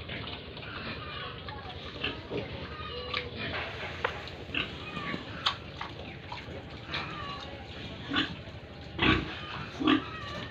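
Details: Farm pigs and piglets in Tripura making scattered grunts and brief squeals, a few loud sharp bursts toward the end over a continuous low droning background.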